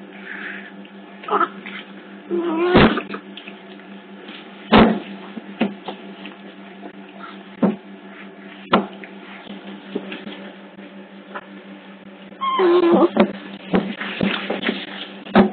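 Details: Otter pups at Hertfordshire Zoo, picked up by a hidden CCTV camera: scattered thin squeaky whistles near three seconds and again around thirteen seconds, between bumps, clicks and scuffling over a steady electrical hum.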